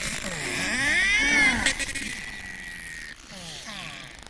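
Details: Underwater narwhal, famed for its sword-shaped tusk: a long rising and gently falling whistle with harmonics, swooping lower tones beneath, then a sustained flat tone and softer pulsed buzzing toward the end.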